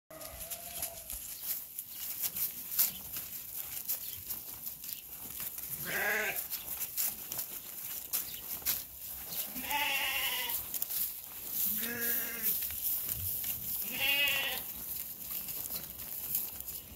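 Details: Rams bleating: four loud, wavering, harmonic-rich bleats come at irregular intervals across seventeen seconds, some rising and quavering, over a constant broadband hiss with faint soft calls early on.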